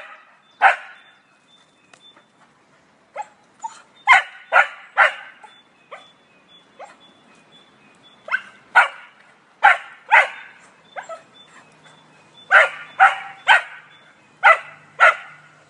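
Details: Cocker Spaniel taunted by a squirrel gives a long run of irregular barks, some single, some in quick doubles and triples, over a faint steady whine in the background.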